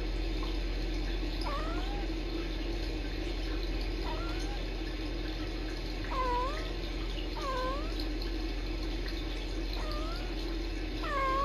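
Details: Rescue kittens Sisko and Mila, filmed by a Tiny Kittens Society live stream, chatter back and forth in brief rising and dipping chirps spaced a second or two apart, with constant low background hum.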